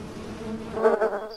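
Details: Honey bee buzzing, a brief low droning hum with layered overtones that swells briefly toward the end.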